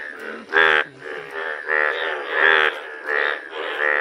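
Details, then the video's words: Unusual frog sounds, described as rare: slow, drawn-out harmonic croaks, each lasting about a quarter to half a second, rise and fall unevenly with deeper grunting notes between them. "Unusual sounds frogs make"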